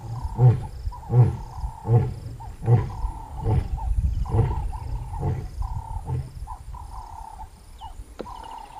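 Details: Lioness giving a run of short, low, muffled grunts, roughly one every three-quarters of a second, fading out over time, over a steady high-pitched hum in the background.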